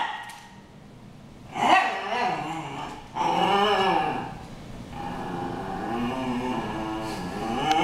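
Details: Dogs Harry and Ferris brawl with rough growling snarls rising and falling in pitch, punctuated by louder bark bursts, the grumbling continuing steadily toward the end.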